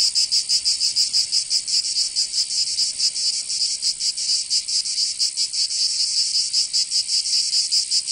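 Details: Provençal cicadas in summer, southern France, filling the air with a shrill buzzing chorus whose pulses come less evenly, swelling and dipping irregularly over a continuous high hiss.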